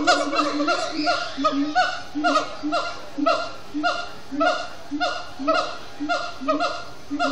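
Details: Captive siamang gibbons chanting at sundown, Disney's Animal Kingdom; a slower run of loud harmonic hoots, each note swelling and falling, spaced roughly every second, with rich overtones and a rough, honking quality.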